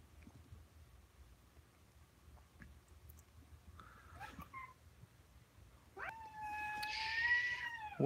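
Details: Alabama kittens, filmed close up at home on 28 May 2018: a brief mewing call, then a long, steady, drawn-out kitten meow holding one pitch with rich overtones through the final two seconds, over a low indoor hum.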